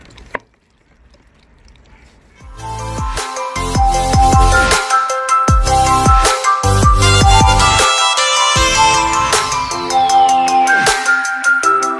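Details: A single click opens a quiet stretch, then loud electronic dance music with pounding bass and a descending synth sweep takes over.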